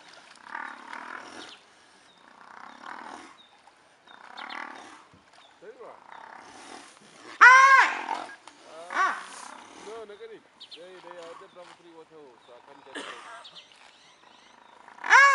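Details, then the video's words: Brown hyenas fighting at Madikwe after one wandered into the wrong territory: loud arched squealing yelps around the middle and end, between quieter rough, breathy sounds and a person talking early on. "Brown Hyena fight"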